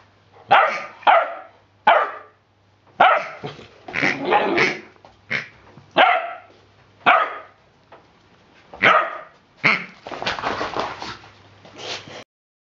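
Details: Ten-week-old Rhodesian Ridgeback puppy playing with a new rubber pig toy, giving short, yappy barks and growly yelps in irregular bursts, about nine over twelve seconds, ending in a longer rough, noisy outburst.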